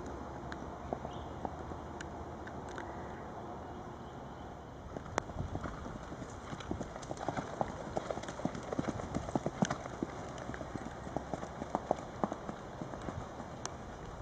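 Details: Hoof falls of Charlie, an 11-year-old registered Tennessee Walking Horse of 15.1 hands, under saddle; faint scattered taps at first, then a busier run of sharp clops builds through the second half over a steady background hum.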